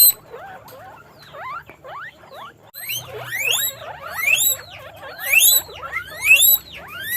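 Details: Several farm guinea pigs in a cage: a jumble of quick rising chirps, growing into loud repeated high whistled squeaks roughly once a second, with soft hum underneath.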